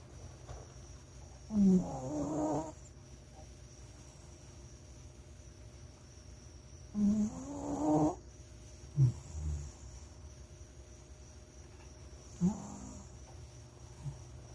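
A Shih Tzu snores in rough, low, rattling breaths, a few seconds apart.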